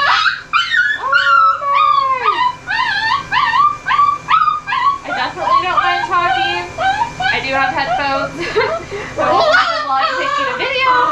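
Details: Ollie, a very vocal dog, during a mobile pet grooming session in Oklahoma, USA, pours out a nonstop stream of whines, yips and howls. Short rising and falling yelps come in rapid bursts, with one long held howl near the start.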